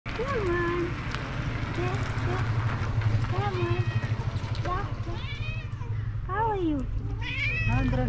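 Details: Short-eared female cat wearing a collar, meowing for love and attention rather than food. Several rising-and-falling meows, each under a second, spaced a second or more apart. A person talks warmly over them against a steady low rumble.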